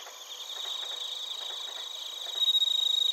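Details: Short burst of bell cricket and cricket song from Narita, Chiba, Japan, recorded with a TASCAM Portacapture X8: rapid buzzy high pulsing that builds in volume, ending with a loud, clear ringing note.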